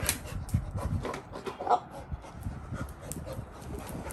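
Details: Labrador retriever puppy excited by a person shaking a paw ball: quick, breathy, rhythmic panting bursts with some faint rustling and handling noise throughout.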